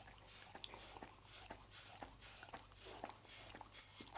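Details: Roast beef being eaten by Lucy, a pet dog, indoors: quick wet bites and crunchy clicks coming several per second, steady faint hum below.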